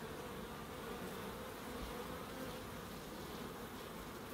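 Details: Steady droning buzz of bees in a small garden in Crookes, a continuous even hum with low harmonic bands under a hiss of background noise.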